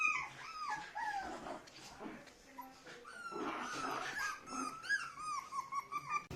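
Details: Puppies offered for sale in India whining softly, thin rising-and-falling high whimpers overlapping one another against a noisy indoor background.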